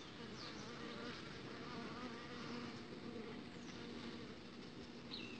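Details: Uruçu stingless bees buzzing outside the hive as a young queen is mated, a thick continuous droning hum with passing whines of individual bees flying close.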